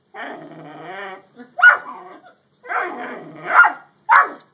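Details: A Great Dane and a Yellow Labrador square off. A long, low rumbling growl runs for about a second, then sharp barks break out, followed by a second growling stretch ending in a loud bark.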